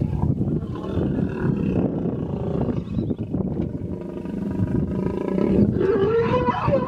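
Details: Female hippopotamus in a small pod in the Vurhami River, Kruger National Park, South Africa, vehemently defending her young from an approaching hippo; a sustained low, harsh rumbling roar of rapid irregular pulses, swelling louder toward the end.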